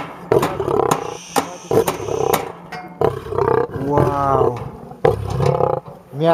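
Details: A 400 kg male lion, described as aggressive, gives a series of harsh pulsing growls in bursts about a second long, separated by brief gaps, with sharp clicks and people talking nearby.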